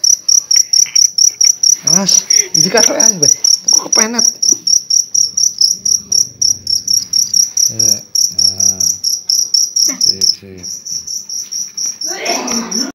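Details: Hefty cricket caught at night in Indonesia, trilling in fast, shrill, closely spaced pulses that run on steadily, briefly weakening, while several men chat over it.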